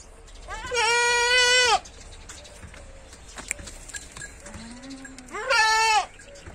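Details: Goats kept for sale in Lucknow: two loud, long, wavering bleats, each about a second, separated by a quiet pause with faint background noise and a low hum.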